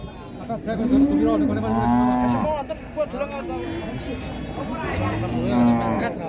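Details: Several Limousin Belgian cattle mooing in turn: short, resonant bellows that rise slightly and level off, one after another, over a low hubbub of more animals and movement.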